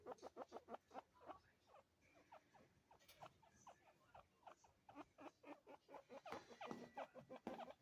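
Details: Two chinchillas, a father and son, talk to each other, trading quick, high, squeaky chirps in a rapid back-and-forth stream.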